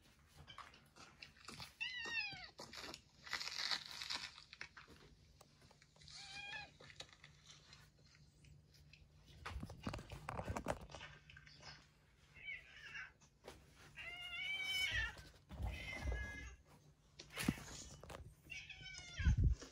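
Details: Yongo, also called Kuro, a retired boss cat in end-of-life care at home, gives a string of short, arching meows spaced a second or two apart, mixed with indoor crunching and chewing noises over a low steady hum.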